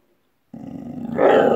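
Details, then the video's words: Pit Bull Terrier vocalizing indoors: a sudden, loud, sustained growly moan with a low buzzy tone that rises into a brighter, strained, whining note toward the end. "Pitbull Terrier Talk"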